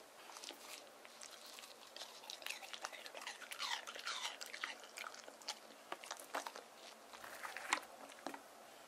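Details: A male white terrier named Deokgu, born 2018, chews watermelon given to him in hot summer weather; steady, juicy crunching and smacking with dense, crackly bites and a few louder snaps near the end, recorded close up indoors.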